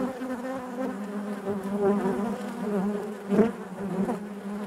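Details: Honey bees inside their hive, a steady dense hum with strong low harmonic bands, swelling and fading in loudness, with occasional brief clicks and knocks as bees move about.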